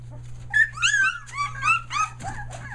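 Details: Nearly three-week-old Australian Shepherd puppies near Mooresville, North Carolina, trying out their voices: a short run of loud, clear, rising-and-falling squealing whines, five or six in quick succession, over a low steady hum.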